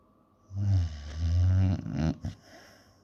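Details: Alfa the puppy asleep, letting out a single drawn-out low rumbling snore that ends in a snorting huff, over a steady faint room hiss.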